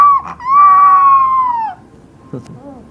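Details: Puppy howling: a sustained, steady tonal wail held for over a second with a slight downward bend at the end, then a brief faint whimper.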